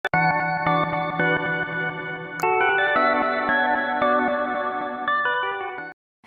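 Sustained organ-like electronic music chords with no animal sounds.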